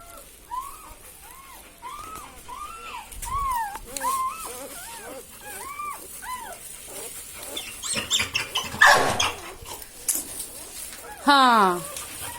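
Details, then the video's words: Newborn Labrador Retriever puppies from Saira's litter of four, whining in a run of clear rising-then-falling squeals about once a second, then scuffling and handling noise and one sharp descending squeal near the end. "Labrador puppies | New born Labrador puppies"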